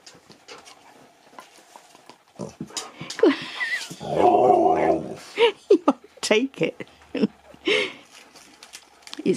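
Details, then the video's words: Male pet Husky named Nook at Easter, given an Easter egg, ignoring and then playing with it before eating it. He gives a loud, wavering, moaning yowl lasting about a second, amid short grunts and a woman talking to him. "Husky TALKS to ~ IGNORES then PLAYS with his EASTER EGG"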